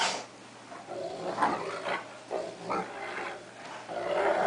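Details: A cocker spaniel and a three-quarter wolf, one-quarter Akita dog play-fight indoors; short raspy growls and snarls follow one another, rising toward a louder, sustained snarl at the end.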